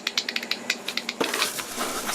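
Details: Bat echolocation calls at a bat rehabilitation home, made audible by a bat detector, come through as rapid, dry ticks several times a second, followed by a rougher crackle. Bats listen to the echoes to find objects.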